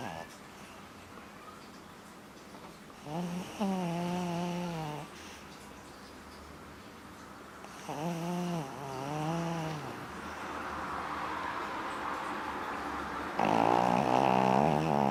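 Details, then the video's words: Ruby, a dog sleeping with open eyes, snores in long wavering, harmonic drones lasting about two seconds each, near four and nine seconds, then ends in a louder, buzzy rasping stretch. "Ruby schnarcht mit offenen Augen"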